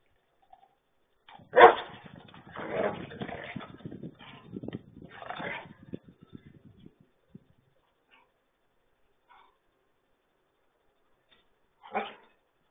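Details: German Shepherds Nico and Zeeva at playtime: one sharp loud bark, followed by several seconds of rougher, broken growling and huffing bursts, then quiet before a second short bark near the end.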